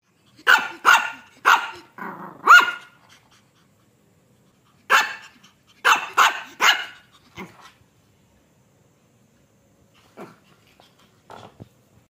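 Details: A 3-month-old Shih Tzu puppy gives sharp, high yapping barks in quick bursts of three or four.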